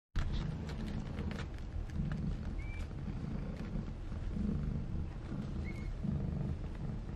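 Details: A Maine Coon mother cat named Fujiko from a Tokyo breeder purring; a steady low rumbling throb pulses in waves throughout, with a few faint higher chirps and light clicks above.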